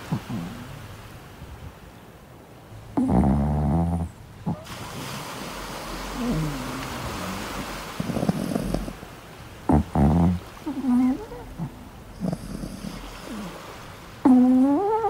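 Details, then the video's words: Chihuahua puppy talking in its sleep while cuddled during van camping on a beach: scattered soft whines and low grumbling moans, some rising and wavering, separated by quiet breathing pauses. "Chihuahua Pup who’s Talking in Sleep"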